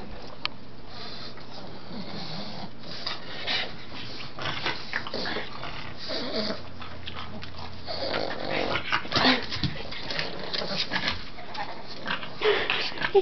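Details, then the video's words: Pug named Karma, indoors, straining to reach his brother Bentlee's chew: low wheezy growls and snorting grunts come in irregular bursts, with rustling movement and a louder flurry near the end. "Pug tries to get his brother's chewy"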